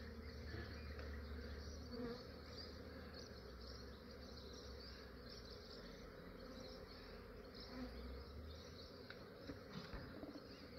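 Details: Australian beekeeper capturing a massive swarm of honey bees in the early morning before the bees grew active: an unbroken, even hum of countless wings, low and droning, holding steady throughout.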